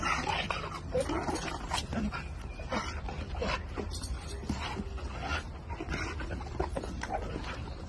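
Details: American Bully dog giving short, sharp barks and yips at irregular intervals over steady broadband background noise, with some human speech mixed in.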